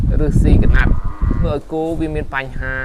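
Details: Cattle at a cattle farm in Tbong Khmum province, Cambodia, with harmonic, drawn-out lowing calls between about one and three seconds, preceded by a man's speech and handling noise.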